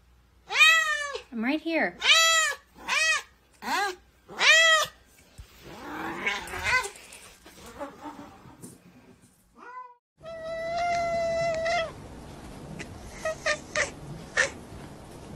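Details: Talking house cat giving a quick run of about six short, bright meows, some dipping and rising, then a noisy stretch with a person's voice, and finally one long, steady, sustained meow near the end.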